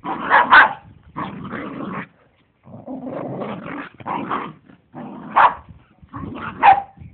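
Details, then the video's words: Pair of dogs romping in a grandparents' garden, rough growling bouts punctuated by a few sharp higher yelps and barks, separated by short silences. "2 cute dogs play wild"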